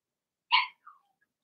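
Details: Blenheim Cavalier King Charles Spaniel puppy in an indoor puppy pen during potty training, giving one sharp high yelp followed by a softer short whine, otherwise quiet.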